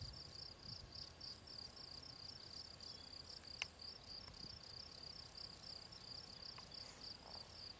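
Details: Field cricket (Gryllus campestris), Draga valley ponds, 18 June 2023: continuous high, ringing chirps in quick regular succession, a single sharp tap midway and a few faint other insect ticks in the background.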